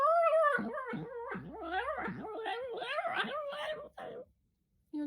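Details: Male pet dog 'talking' to its owner indoors, a string of yowling, up-and-down whining moans in quick, uneven syllables, ending with a short pause and a faint final note.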